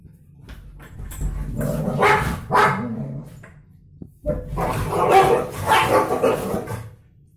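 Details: German Shepherd Dodo scuffling with a stray dog over her bed; rough growls and snarling barks in two long bursts, separated by a short pause with a sharp knock.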